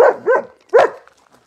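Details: Barking from Arthur, an anxious German Shepherd who barks at people and lunges at dogs: two short barks close together, then a third stronger bark after a brief pause, ending in quiet.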